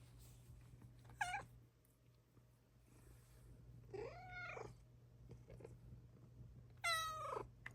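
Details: Luna, a pet Bengal cat, meowing indoors in the morning as she comes to be affectionate; three drawn-out, wavering meows, the middle one long and arching, spaced a few seconds apart over a low steady hum.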